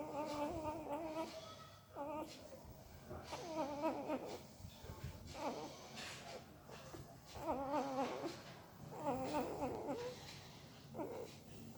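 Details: Dreaming puppy whimpering in its sleep: repeated short, wobbly, squeaky whines in clusters every couple of seconds, each bending up and down, separated by quiet breathing-like pauses indoors.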